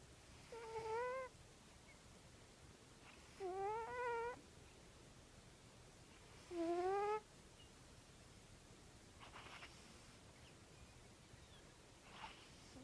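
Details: Merrah, a male Egyptian Mau cat, snoring while asleep: three whistled, slightly rising nasal snores, each under a second long and about three seconds apart, followed by softer breathy exhalations in a quiet indoor room.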